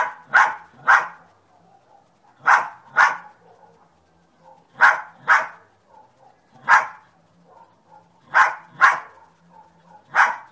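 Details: Repeated sharp barks from a dog named Sunny, mostly in pairs with pauses of a second or two, around eleven barks overall over a quiet, faintly humming background.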